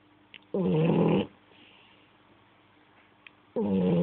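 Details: French Bulldog named Ferrero asleep and snoring, one coarse, buzzy snore of almost a second followed by a soft exhale and a lull before the next loud snore begins.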